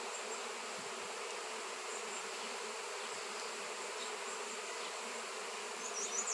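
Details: Swarm of honey bees gathered around a raw 7 lb piece of shungite, in an area where honey bees had not been seen for years; a steady, dense, many-winged hum without breaks, with faint high ticks near the end.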